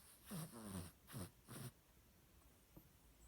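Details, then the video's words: Small Cavalier King Charles Spaniel asleep indoors, snoring loudly: three or four low, rattling snorts in the first two seconds, each under half a second, followed by quiet room hush. "King Charles Cavalier Snoring"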